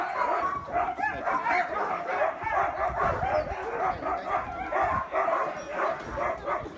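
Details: A pack of sled dogs at Caribou Crossing Trading Post in the Yukon, Canada, barks and yelps nonstop in excitement, wanting to pull the cart used for winter sled training; steady overlapping barking with whining yips throughout.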